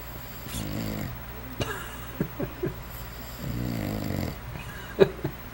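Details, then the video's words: Pet bulldog asleep indoors, giving two soft, low rumbling snores a few seconds apart, with small clicks, snuffles and mouth noises in between. "Bulldog (Suga) Snoring!!!"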